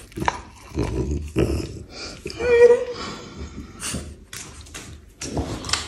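A French Bulldog gives snuffly grunts and a brief, wavering whine while a person talks nearby.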